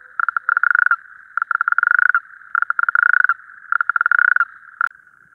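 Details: Natterjack toad males calling at night at a breeding pool: close, loud, fast pulsed rattles in bursts just under a second long, repeated about every second, over a steady background chorus, ending with a sharp click.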